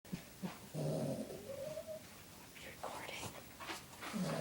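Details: A male Boston Terrier in a deep sleep snores in low, rasping snorts that trail into a thin nasal whine.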